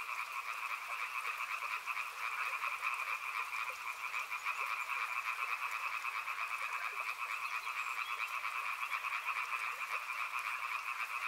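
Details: Frogs calling beside a river in a dense, steady chorus: two bright bands of rapid trilled croaks, one higher and one lower, overlapping without pause, with a soft broad hiss behind them.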